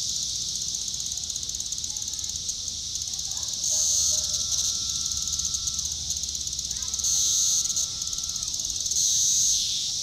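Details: Cassin's periodical cicada of Brood IV, Shawnee Mission Park, Kansas, June 5, 2015, one with an upswept defective wing, vibrating its tymbal: loud high buzzy phrases near 4.5s, 7.5s and 9.5s, each ending in a dropping buzz, over a dense steady cicada chorus.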